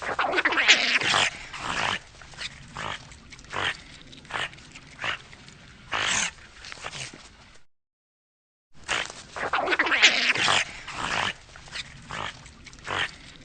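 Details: Eurasian otter with rough squealing bursts followed by a string of brief, piercing chirps spaced irregularly, the pattern repeating after a short silence.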